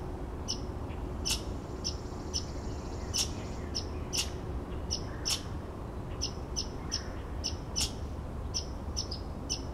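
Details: Red squirrel heard outside a window, giving a rapid series of dry clicks and short shrill notes. Roughly two per second, they come in uneven bursts, with a faint steady drone underneath.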